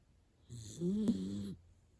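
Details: Hana, a miniature dachshund, sleeps deeply and snores like an old man. A single drawn-out snore lasts about a second. It has a low, buzzy, rattling tone with a brief sharp catch near its middle, heard in a quiet indoor setting.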